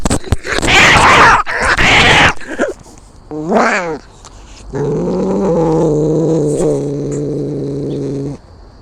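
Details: Cats in a fight, heard from close up: two harsh screeching bursts, a rising then falling wavering yowl, then a long steady low moaning growl lasting about four seconds.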